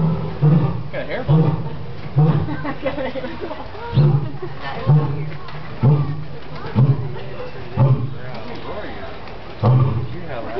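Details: A zoo lion gives a series of deep, grunting roars, almost bark-like, about one a second, while people talk nearby.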